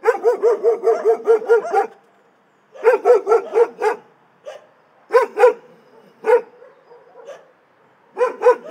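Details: Shelter dogs give a rapid run of about ten loud barks, fall silent for a moment, then bark another five times, followed by scattered single barks and a closing pair.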